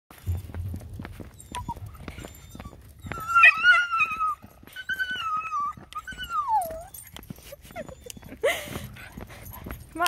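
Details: Miniature Schnauzer, a pet dog, screaming: after quiet low rumble, a run of loud high whining wails with sliding, wavering pitch, some long falling cries, ending in a harsh burst; a person speaks afterwards.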